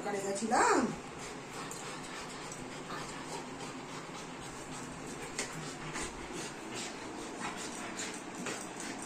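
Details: Golden Retriever named Anna, pet dog indoors, reacting after not seeing her mother all day: one short, sharp whine that sweeps up then drops back down near the start, then a quiet room with faint rustling.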